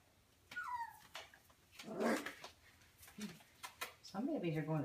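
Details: Four-week-old Golden Mountain Doodle puppies, a litter from Bella and Halas, resting indoors; a thin, high whimper slides downward early on, followed by a woman speaking softly and a few low, wavering whines near the end.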